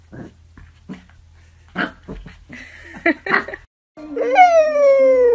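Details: Corgi Husky mix puppies: a few short, soft yips and whimpers, then a long drawn-out whine that slides slowly downward, rich in overtones, held to the end.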